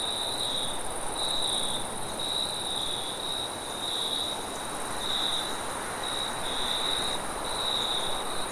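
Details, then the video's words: Forest crickets at night producing bright, high trilled bursts at a fairly steady pace, with a thin higher ringing tone and constant wind noise including some low rumble. "Crickets and wind sounds at night"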